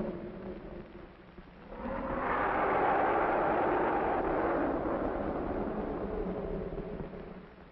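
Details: Playful young African elephants at the Bronx Zoo give a loud, harsh, brassy blast that holds for several seconds.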